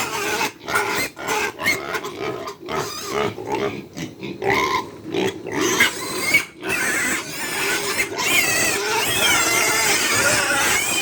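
Several pigs make loud, harsh squeals and short grunts in rapid, overlapping bursts, with a shrill wavering squeal building near the end. The racket is the noise of hungry animals calling for food at feeding time.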